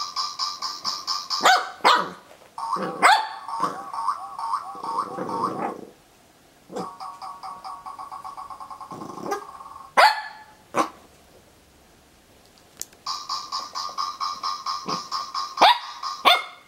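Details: Corgi puppy Zorro taking on a noisy dog toy; the toy's buzzy, harmonic electronic drone and squeals dominate, broken by short, sharp puppy barks at irregular intervals.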